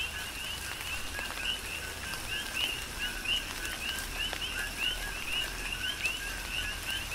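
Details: Big Island, Hawaii, in a tropical downpour: numerous coqui frogs give sharp two-part calls, a low note followed by a higher upswept chirp, repeated continuously in a dense rhythmic chorus over steady rain.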